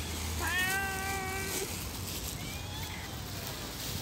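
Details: A hungry stray cat living on the street meows to ask for food. One drawn-out, harmonic-rich meow lasts about a second, then a shorter, fainter second meow follows over steady low outdoor background noise.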